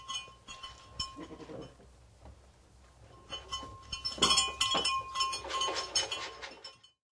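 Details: Several goats bleat in nasal, wavering calls amid metallic clinking while being fed.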